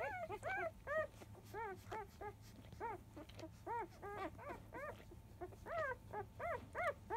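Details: Newborn field-type Labrador Retriever pups, five days old, fussing during the 10 a.m. feed from their mother Biscuit; thin high whines come in quick bursts, each bending up and down, several voices overlapping over a low background hum.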